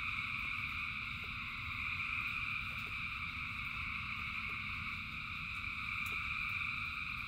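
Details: Frogs calling en masse during rain: a continuous, even wall of high trilling voices that never pauses, with a broad low wash of rain beneath and scattered soft taps.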